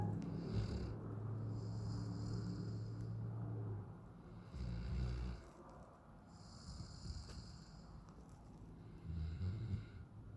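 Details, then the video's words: Raiden, a nine-month-old Alaskan Malamute, sleeping on a back patio: deep, rumbling snores in long drawn breaths, roughly every few seconds, with intermittent high, steady whining tones in the background. "9 Month Old Malamute; Raiden snores like his Dad"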